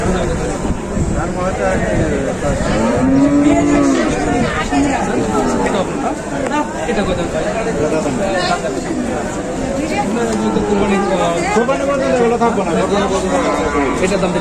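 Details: Bulls offered for Qurbani at Batajor cattle market, Bangladesh, on Tuesday 26 March 2024; a low drawn-out moo rises and falls near three seconds amid constant crowd chatter and market noise, with fainter lowing later.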